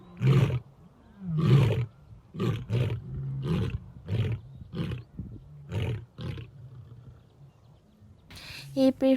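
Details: Lion producing a series of short, deep grunts spaced about a second apart, slowing and fading out, followed by a brief burst of human speech at the end.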